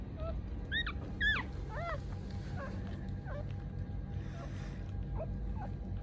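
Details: Newborn Mame Shiba puppies, born 19 December in a litter of three (two males, one female), give thin, high squeaky whimpers that bend up and down, several in quick succession then fainter, over a steady low hum.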